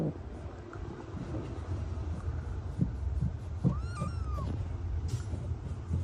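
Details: Abandoned kitten, left for two days in the snow at -11°C without food or shelter, calling during its rescue: a single drawn-out, arching meow near the middle, set against a steady low rumble and scattered knocks.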